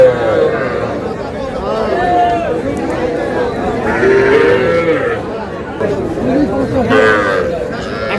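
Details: Three-month-old calves and heifers at a busy cattle market in Madaripur, Bangladesh; a few short wavering moos rise above dense crowd chatter and men haggling over prices.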